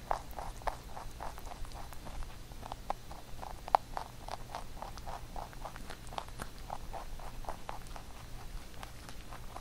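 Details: A pet rabbit steadily gnawing on carrot songpyeon for the Chuseok holiday; soft, fast, regular chewing crunches throughout, a couple of sharper bites standing out, heard close up indoors.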